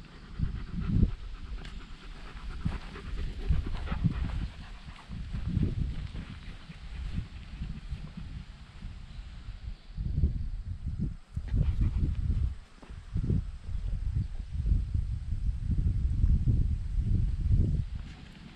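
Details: Dog at a dog run in October, after the pool was taken away for the cooler season. Rough, low breathy bursts come in uneven runs, pausing briefly now and then, with a faint wind-like hiss in the background.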